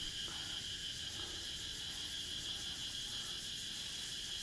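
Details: At dusk in front of a house among many trees at a resort in Mukdahan, Thailand, many cicadas call together in a steady, shrill, high-pitched buzzing chorus.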